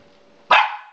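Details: Maltipoo puppy lets out one sudden, sharp bark that starts bright and harsh, then fades over about half a second, with only a faint steady hum before it.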